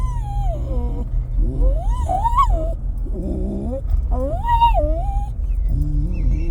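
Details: Jack Russell terrier eager to get out of a truck, making wavering, howl-like whines that rise and fall, with some lower grumbling tones, over a constant deep engine drone.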